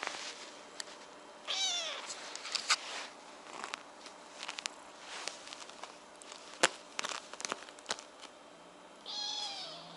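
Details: Kitten crying indoors for no clear reason; two high thin descending meows, one early and one at the end, with soft shuffling, clicks and light handling noises between them in a quiet room.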